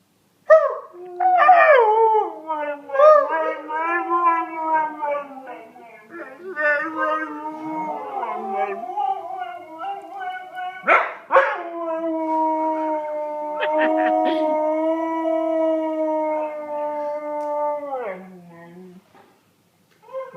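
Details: A pet dog howls at length, starting with yipping wavering notes that settle into long steady drawn-out howls, a few sharp breaks midway, then a low falling finish.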